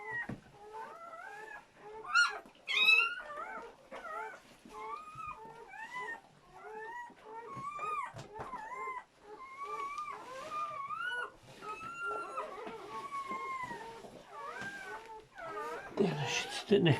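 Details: Several newborn German Shepherd puppies, part of a seven-puppy litter born during whelping, cry almost continuously: rapid, overlapping squeals that bend up and down, joined by a sharper yelp and a burst of rustling near the end.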